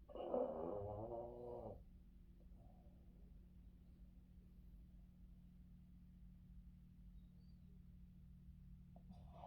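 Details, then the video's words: Boston Terrier Yoda napping in the afternoon on his owner's lap gives one long, buzzy snore lasting nearly two seconds, followed by quiet breathing and a constant low hum of the room. "Yoda afternoon sleeping with dad and funny snoring [Life of a Boston terrier]"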